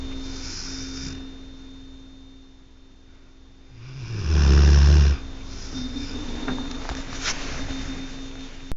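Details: Sleeping dog Tucker at night: a rising intake of breath builds into a single heavy, guttural snore of about a second, then quiet breathing, with a faint steady hum throughout.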